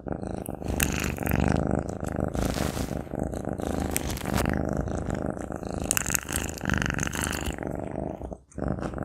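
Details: A Maine Coon cat eats a sausage, chewing noisily with wet smacking and clicking bites over a steady low rumble.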